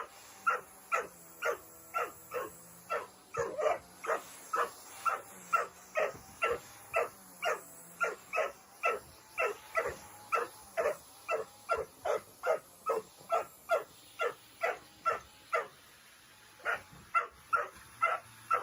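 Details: Angry Dobermann, a big dog that dislikes vacuum cleaners, barking nonstop while the cleaner runs: steady, evenly spaced short barks about two per second over a constant mechanical hum, with one brief pause near the end.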